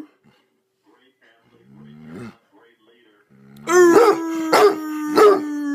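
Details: A hound being encouraged to howl with his owner gives deep, loud barks about every two-thirds of a second over a steady, drawn-out howling tone, mostly barking with occasional howls.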